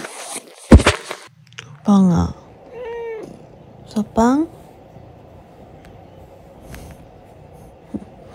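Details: Domestic cat at home giving a few short harmonic meows, one rising and one sliding down, spaced roughly a second apart, with a person talking and a sharp knock near the start.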